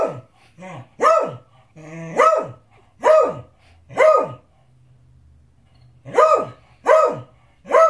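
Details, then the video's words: Beagle insisting on dinner, alternating loud harmonic barks with softer grumbling, growl-like sounds; a short pause midway with low background hum, then a quick triple burst of barks. "Beagle won't stop barking!"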